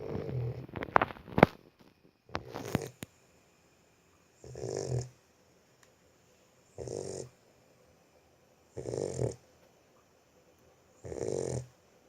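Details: Sleeping Boxer puppy snoring indoors: after a few seconds of sharp knocks and rustling, four soft, breathy snores rasp out about every two seconds, each swelling and fading with quiet gaps between.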